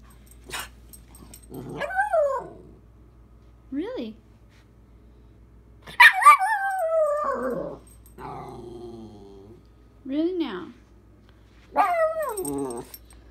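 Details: Dakota, a female puppy who loves talking back, trades sounds with her owner in a run of arched, howl-like whines and yowls. They rise and then drop, spaced a few seconds apart, with short gaps of quiet between.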